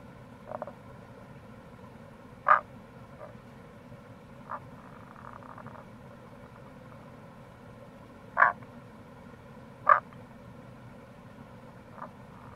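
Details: Tago's brown frog at the Kamo River gorge, Itoshima, Japan, in April: scattered short croaks at irregular intervals, several strong and some faint, over a continuous low roar of water.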